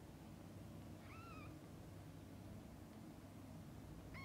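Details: Domestic cat, a mother feeding and bathing her kittens: one short, high, clear mew that rises and then holds level, then a second mew cut off at the end, over a low steady background hum.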